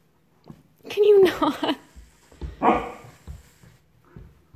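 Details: Puppy indoors in a small room, growing brave toward a YELLIES toy: two short harmonic barks, the first with a clear tonal start around one second, the second near three seconds, with a man's voice talking close by.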